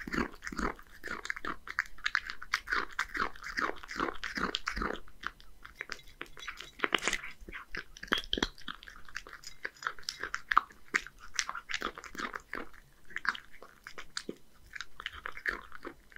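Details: Dense, rapid kibble crunching and wet chewing from Hige, a one-year-old male Scottish Fold cat in Japan, as he eats horse mackerel mixed with dry food. One sharper, louder crunch comes about midway.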